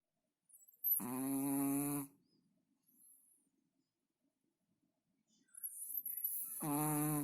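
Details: A Chihuahua snoring while asleep: two long, buzzy, rasping snores about a second long each, roughly five seconds apart, with near silence between them.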